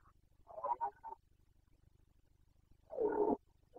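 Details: Bucovina's Carpathian stag in the 2021 rut, Romania: two rough, throaty bellows, a broken one first and then a fuller, louder burst nearly three seconds later, against a faint low hum.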